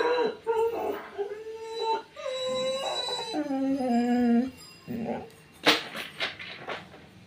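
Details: A puppy gives a run of high, tonal whines, some held and sliding downward like a small howl, then breaks into short yelps amid knocking sounds indoors.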